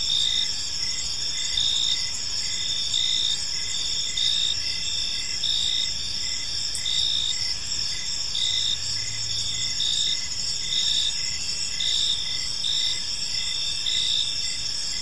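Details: Evening in a park with crickets chirping nonstop: a dense high-pitched shimmer plus regular short pulses repeating about twice a second, and a brief low hum midway through.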